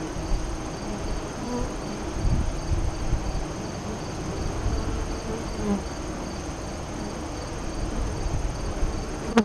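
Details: Honey bees at a west-facing hive entrance five miles east of Lyons, Nebraska, during the 2017 eclipse, 2:48–3:00 CDT. A low, steady droning hum from many bees swells and fades, with faint brief tonal buzzes of passing bees and a thin high steady whine above.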